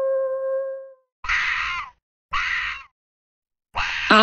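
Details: An Arctic fox (Vulpes lagopus) gives three harsh, raspy screams, each about half a second long and falling at the end, spaced about a second apart, after a brief steady tone; Arctic fox.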